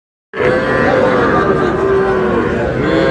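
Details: Cattle at a weekly livestock market (haat) in Aftabganj bazar, Dinajpur district, where small bull and heifer calves are traded on 12 May. A drawn-out, low, tonal moo holds steady for over two seconds over a busy background of crowd chatter.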